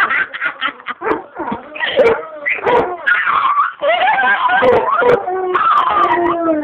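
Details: Two pet dogs 'singing' together, loud: wavering, drawn-out howls and yips that slide up and down in pitch, overlapping, with people talking in the background.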